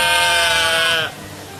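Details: One sheep's single wavering bleat lasting about a second, clear and loud, then dropping away to a quiet low hum.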